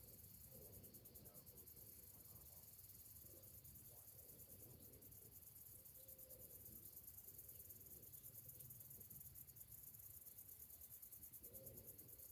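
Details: Cicadas singing on a summer morning: a thin, very high, steadily pulsing shrill drone running throughout, over a low rumbling background with a few faint, brief lower calls.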